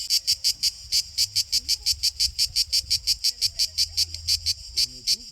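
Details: Male cicada singing to attract females, filmed with a camera in ultra slow motion; a steady train of loud, buzzy, high-pitched pulses, about five per second, over faint low rumble.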